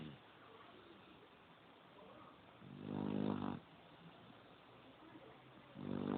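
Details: Pit bull sleeping and snoring: a low, rough, harmonic-rich snore swelling for under a second near the middle and again at the end, with quieter breathing noise between.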